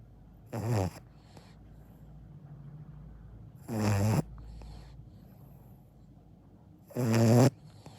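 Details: Sleeping Akita puppy snoring: three loud, rasping snores roughly every three seconds, each a short rough burst with brief quiet breathing between, in a calm indoor room.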